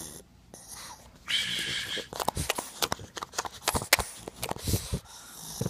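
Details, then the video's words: Potter, a male pug indoors, makes weird sounds when his butt scratching stops: a rapid run of rough, breathy snorts and wheezy grunts in irregular bursts, with a man's voice talking over parts of it. "PUG DOG LIKES BUTT SCRATCH,MAKES WEIRD SOUNDS"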